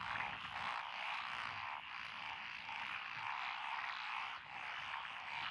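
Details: Frogs in lotus rice paddies along a rural road in Echizen, Fukui, Japan, recorded 12 June 2021; the species named are Japanese tree frog, Tonosama frog, wrinkled frog, Schlegel's green tree frog and forest green tree frog. A dense, steady, rasping chorus blends into one continuous wash.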